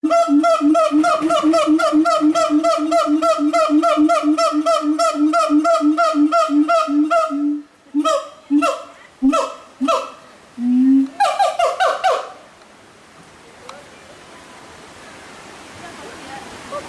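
A siamang gives a fast run of loud, honking barks, then spaced hoots and a final burst.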